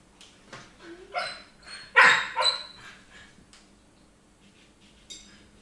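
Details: Jesse, a Siberian Husky, begging for food while ignored, though already well fed; a few short whiny, yelping vocal bursts clustered in the middle, the strongest a rough bark-like cry, then quiet.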